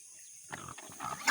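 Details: Native pigs at feeding time on a farm give low, rough grunts in two close pulses, then a sudden loud burst of hissing noise.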